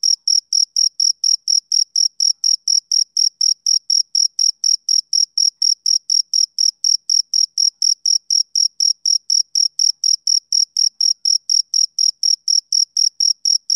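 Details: A male cricket chirps on a summer evening, giving a long run of sharp, shrill pulses at a brisk, even pace of about four a second, with nothing else audible.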